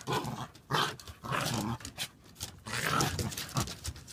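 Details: Two dogs, Huck and Maggie, wrestling in play on a deck: rough, breathy growls in short bursts of about half a second, broken by brief pauses, with scuffling and thumping of bodies throughout.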